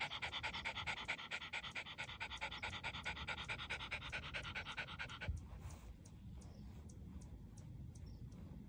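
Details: Dog panting in fast, even breaths, roughly two per second, each a breathy rasp, steady for about five seconds before dropping to quieter, softer panting with some faint clicks.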